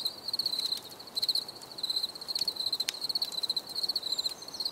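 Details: Cricket chirping in a nature setting, bright pulsed trills repeated in short bursts with brief gaps, steady high tone with faint clicks and ticks in the background.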